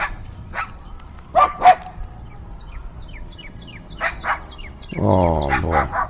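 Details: Dogs barking fiercely, recorded with binaural in-ear microphones in windy weather: two loud barks, scattered high bird chirps, two more barks, then a low droning hum.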